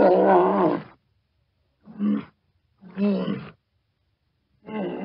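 A walrus gives deep, throaty roaring bellows in four separate bursts with pauses between them.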